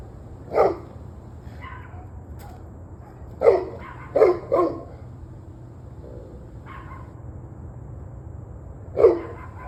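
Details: Dogs barking at 7:06 pm on 21 November 2023: five louder barks spread unevenly, two in quick succession, mixed with fainter, more distant barks between them, over a constant low hum.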